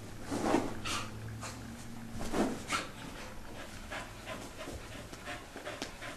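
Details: A dog that dislikes being wet, in its usual routine after a bath, pants in quick, breathy puffs about every two seconds, with snorts and rustling rubbing noises.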